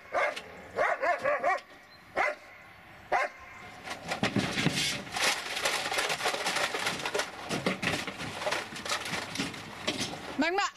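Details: Dobermann Magmar Von Der Burgstätte letting out several short, pitched barks spaced over the first few seconds, followed by sustained rustling and clattering noise, with one last rising bark at the end.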